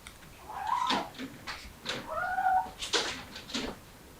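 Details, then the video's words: Mother cat with kittens trying to escape through a window; soft, short meows with a wavering pitch, a few brief calls spaced over several seconds, indoors. "새끼 데리고 창문으로 탈출 하려는 어미 고양이"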